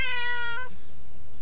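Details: Strange, talkative pet cat kept indoors by grandparents gives one short, clear, tonal meow, level and then slightly rising, lasting under a second, over a low steady hum.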